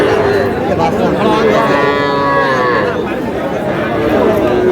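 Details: Calves mooing at a crowded cattle market in Madaripur, Bangladesh, during trading: a long, steady lowing call swells midway, surrounded by constant buyers' and sellers' voices and general market noise.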